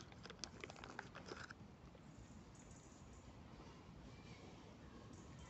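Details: A relaxed squirrel feeding very close to the camera makes sharp, dry crunches and nibbling clicks in a rapid cluster as it gnaws its food, then stops, leaving a steady low background hiss.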